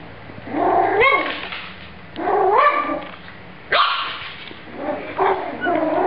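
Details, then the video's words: Dogs fighting: harsh, rising yelping barks and snarling whines in bursts about every one to two seconds, each with a strained upward sweep, and a person's voice at the end. "dogs fighting"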